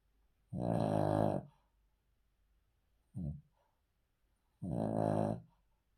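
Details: Cavalier King Charles Spaniel, a male, snoring while asleep on the floor indoors: a long, rough, rattling inhale lasting about a second, a brief low snort, then another drawn-out rasping snore.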